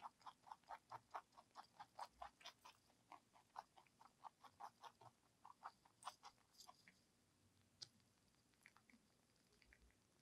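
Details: ZZ, a lionhead and Dutch mixed-breed house rabbit, chews celery in quick, regular crunchy ticks that soften and thin out over the second half, against a quiet room background.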